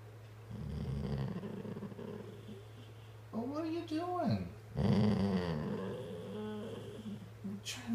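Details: A senior female Golden Retriever makes wavering, rising-and-falling groans and grumbles, like a dog talking back to her owner, seemingly wanting affection.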